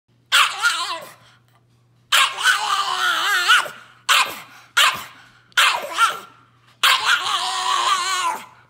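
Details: A 1-year-old Boston Terrier in Leesburg, Virginia, USA, July 2018, gives six hoarse, warbling raspy growl-barks, some short, some drawn out over a second or more, at uneven intervals over a faint steady low hum.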